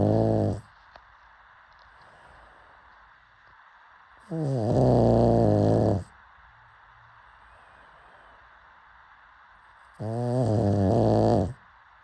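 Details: Sleeping pug snoring in a slow rhythm: three harsh, buzzing snores, each one to two seconds long, coming roughly every five to six seconds with quiet breaths between.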